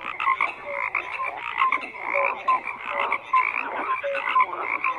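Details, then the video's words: Overlapping frog croaks form a steady, buzzy chorus, with short bright chirping notes at intervals and small swells in volume. "FROGS CROAKING"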